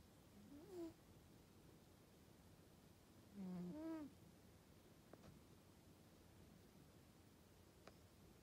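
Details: Sleeping Norwegian Forest Cat gives two soft, low, whining snore breaths about three seconds apart, with faint clicks between them, in a quiet indoor setting.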